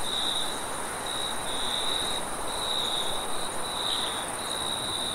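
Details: Crickets at night, a steady high trilling band with pulsed chirps in uneven bursts, a second faint high band above, over a broad constant background hiss.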